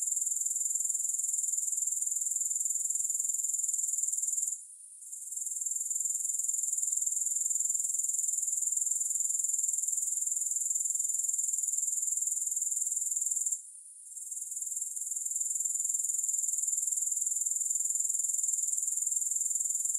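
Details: Shrill, even grasshopper trilling, rapid pulses blended into a constant high whine, interrupted by two short pauses and otherwise steady throughout.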